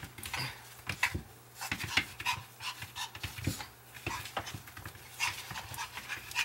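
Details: A long-haired Chihuahua pants hard during a game of catch me if you can: rapid, rough, breathy huffs repeat steadily for several seconds, with light knocks and movement noise around them.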